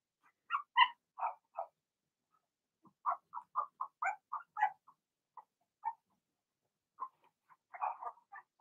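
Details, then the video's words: Young Blenheim Cavalier King Charles Spaniels, part of a six-puppy litter, in their pen at home: bursts of short high yaps, a quick run of about eight around the middle, then sparser single yips with quiet gaps. "Cavalier Puppies Bark, Howl"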